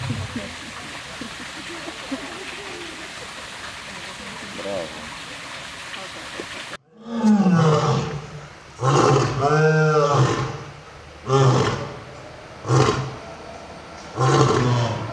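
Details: Roaring from an old and a young lion: a noisy, hissing stretch first, then abrupt deep roars with rich harmonics, several long loud bursts separated by short pauses.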